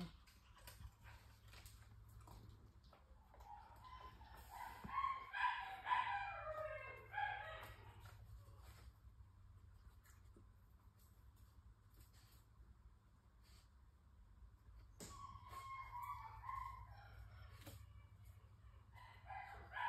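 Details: German Shepherd puppy, the red collar male of the Von Cluskey N litter, searching a scent training room for hidden reward treats. High, harmonic whining yips cluster between five and seven seconds and return near fifteen to seventeen seconds over quiet room hum.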